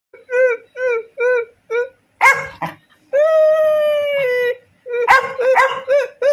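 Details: Labrador Retriever practising barking: short tonal yelping howls repeated four times, then a rough bark, a long steady drawn-out howl of about one and a half seconds, and more quick yelps and barks at the end.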